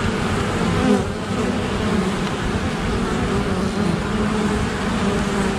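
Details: Honey bees massed in defense against an attacking great black wasp, producing an unbroken, even buzz of many wings with slight pitch wobble throughout.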